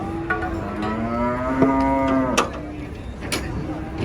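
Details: Enraged giant cow during loading beneath a haunted tree lets out one long, steady moo rising slightly then holding, broken by thuds and clanks, with background voices and engine hum.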